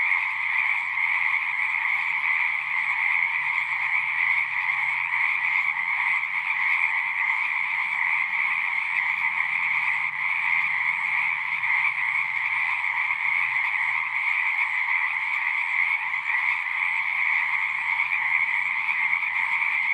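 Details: Frogs singing at a pond in a horse pasture, captured on a Zoom 6 recorder: a dense, unbroken chorus of many overlapping trilling voices, steady and even in loudness throughout, with a faint low hum underneath.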